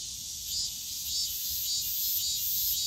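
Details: Summer cicada chorus from the bamboo grove at Yongsan Family Park, a bright high buzzing band that swells and pulses slightly about every half second, over soft low background rumble.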